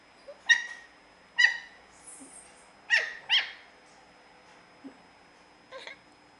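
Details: Cute baby puppy giving short, bright yelps and squeaks, six or so spaced across a few seconds, with faint whimpers between them and a steady high hum in the background.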